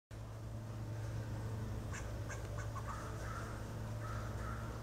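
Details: An eastern gray squirrel, treed by a golden retriever, gives alarm calls: quick clicking chucks and nasal, duck-like moans over a steady low hum.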